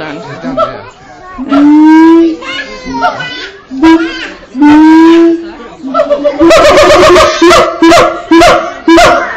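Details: A hand-raised male siamang (Symphalangus syndactylus) at Auckland Zoo, New Zealand, on 7 July 2013, gives loud rising hoots that speed up into a rapid run of sharp, barking calls.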